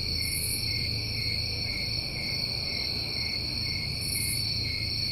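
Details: Crickets recorded on a New England summer evening: a steady, unbroken high trill chorus layered in several pitch bands, with soft hissy bursts higher up near the start and end, over a low background rumble.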